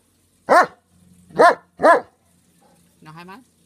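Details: German Shepherd dog barking on the German command "gib laut" (speak): three loud, sharp barks in about 1.5 seconds, the last two close together, followed by a brief voice after a pause.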